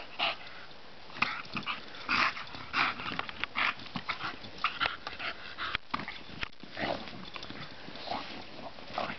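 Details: Bonita, a bulldog, playing in the sun; short breathy snorting and huffing bursts come in irregular clusters, some louder and sharper, with brief quiet gaps between them.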